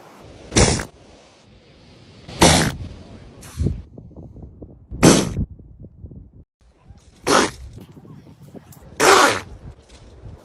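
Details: Seals filmed by a wildlife photographer, sneezing: five sharp, explosive bursts about two seconds apart, separated by soft, snuffly breathing and quieter wet snorts.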